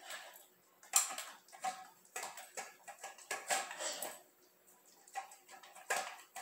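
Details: A dog slurps and glurps while eating, up close: rapid, moist, crackling smacks and licks in short runs, louder bursts at about one, two and six seconds, brief pauses between.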